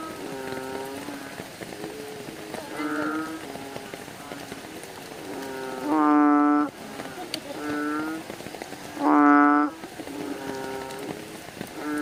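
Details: At night several bullfrogs call together: a murmur of softer overlapping croaks builds to two loud, rich, harmonic calls about three seconds apart, all under a continuous patter of rain.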